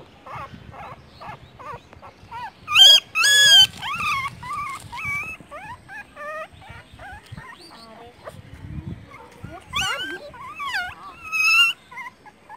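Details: Newborn puppies, four found by a roadside with their mother nearby, give high thin whimpers and squeaky yips in quick irregular bursts, with louder wavering cries now and then and faint voices in the background.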